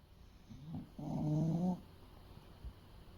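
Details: A single deep, gravelly snore from Fuku, a sleeping male English Bulldog of eight years and roughly 30 kg, preceded by a soft snuffle and followed by quiet breathing.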